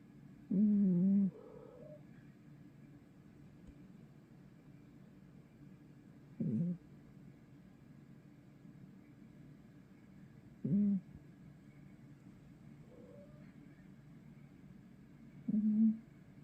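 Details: A domestic cat snores heavily while its owner asks why it snores so much. Short, low, nasal rasping snores come roughly every four to five seconds, with near silence between them.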